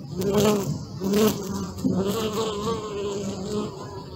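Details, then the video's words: Bees buzzing close up, recorded on a Sony Alpha 6000 during a thirty-minute session: a steady droning hum with rich layered overtones, swelling and fading as insects pass near, louder bursts around each second, no other clear sounds. "Bee sound"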